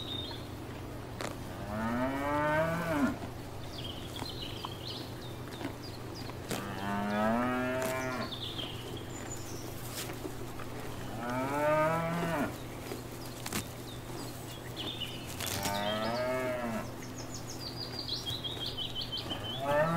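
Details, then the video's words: Cattle grazing in a field paddock give four drawn-out, wavering moos, roughly one every four to five seconds. Birds chirp intermittently in the background. "Cows Mooing and Grazing in a field"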